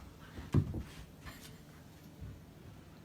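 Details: Quiet indoor room with one soft thump and faint rustling, then low background hum; no animal voice.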